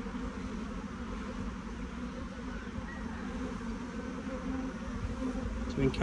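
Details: Steady low-pitched humming of a honey bee swarm crawling into a new hive, swelling slightly in the final second.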